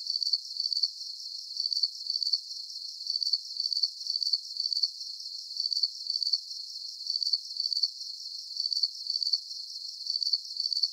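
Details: High-pitched cricket chirps come in small clusters of two or three quick trills, separated by brief lulls, over a soft hiss; nothing else stands out.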